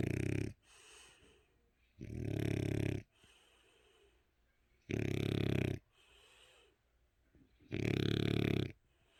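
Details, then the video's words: Eight-year-old French Bulldog asleep with its eyes open, snoring in four loud, harsh, rasping bursts about two seconds apart, with softer wheezing breaths between them. "프렌치불독 코골이"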